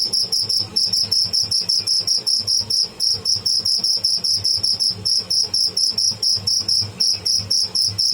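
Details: A live cricket (tidda) making noise: shrill, high chirps pulsing rapidly and steadily, roughly several per second, with a fainter higher overtone, and no other clear sounds.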